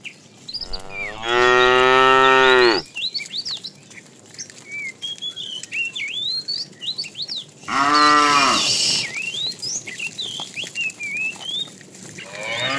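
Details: A tame herd driven in the afternoon as a fat cow calls the female, giving two loud harmonic moos several seconds apart, surrounded by continual bird twitters.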